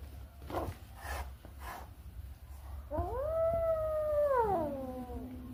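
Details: Playful, naughty house cat producing one long, steady, drawn-out meow that dips at the end, preceded by a few soft knocks and rustles against low background hum.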